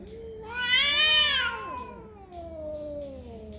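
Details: Cat giving a loud drawn-out yowl that rises in pitch, holds a rich harmonic whine for about a second, then slides down into lower moaning wails, over a steady electrical hum.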